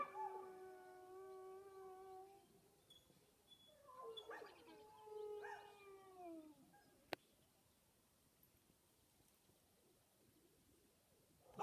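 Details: A reservation dog howls at sunrise in the early morning of May 6, 2015, in long, steady, mournful tones, then gives a second howl that slides downward.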